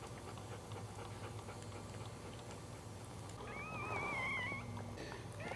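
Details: A thin, wavering high whine over a steady low indoor hum, from a Cairn Terrier during the birth of her fifth puppy.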